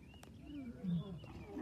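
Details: A deep, rumbling roar that swells briefly and rolls low, made by a lion's roar, a home-made friction drum with a cord through its head, not a real lion.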